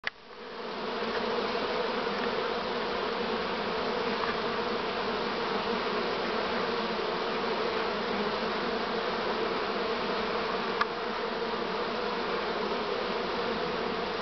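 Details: A honey bee swarm, this year's swarm on 6 September 2019, gives a steady, dense hum of many wingbeats, low and even throughout.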